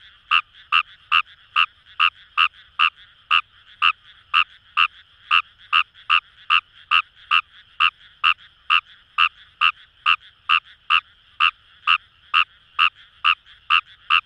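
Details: Rice paddies by the Kamo River, Itoshima, Fukuoka Prefecture, Japan: a Fejervarya kawamurai frog gives a steady run of sharp, clicking croaks, roughly two per second for fourteen seconds, with a soft continuous chorus of other frogs behind.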